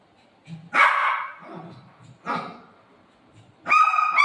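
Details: Golden retriever and shih tzu puppy at play with their mom in a playful dog fight: a few sharp, bright barks and yips, the last a high, ringing yelp, between quiet gaps and a woman's Marathi chatter.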